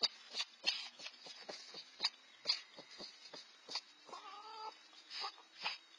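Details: Red fox siblings aged 4-5 months competing over food, making harsh short screeching calls in quick bursts, with one drawn-out wavering whine near the middle amid the scuffle.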